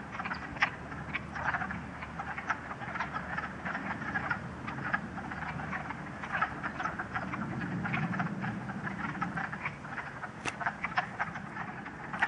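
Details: Dense chorus of wood frogs at a pool at West Hill Park, Uxbridge, Massachusetts, 30 March 2013, sunny with patches of snow: continuous rasping, chuckling croaks from many frogs, over a low rumbling background.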